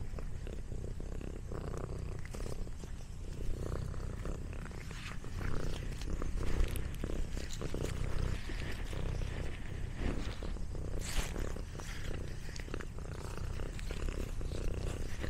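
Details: A pet cat eating snacks, with a steady low rumbling purr throughout and scattered clicks and crunchy chewing noises above it.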